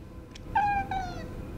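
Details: Domestic talking cat vocalizing hard while being defiant indoors: a clear drawn-out meow, steady then gently falling, with rich harmonics, following a brief faint click; soft background music.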